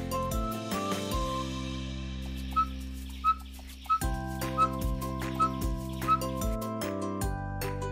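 A dhole gives short, high whistles, repeated under a second apart, over steady background music.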